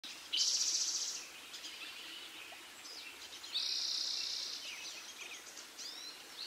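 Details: Squirrel screaming: two loud, harsh, hissing high-pitched bursts, each lasting about a second, separated by quieter rasping and faint chirping sounds.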